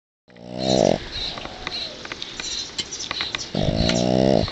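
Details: Sparky, a male dog worn out from playing in the yard, asleep in his owner's arms: two loud, drawn-out nasal snores about a second long, separated by a quiet stretch of breathing and faint rustling.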